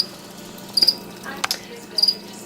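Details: Feeder crickets kept as food for pet White's tree frogs, chirping in their holding container indoors: three short bursts of high, thin trilled chirps spaced about a second apart, with a faint knock in between.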